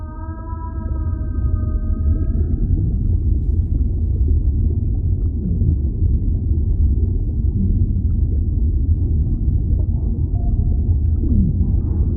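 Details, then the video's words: Whale calling underwater: a steady, drawn-out tonal moan with stacked bright overtones, held for about two and a half seconds before fading, over a continuous deep rumbling ocean background. "Relaxing Whale Sounds"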